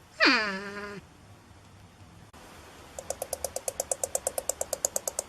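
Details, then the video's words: A porcupine produces one loud, harmonic cry that falls steeply and then levels off into a low moan. After a pause, a fast, even series of clicking pulses follows at about five per second. "PORCUPINE SOUND EFFECT 호저 울음소리"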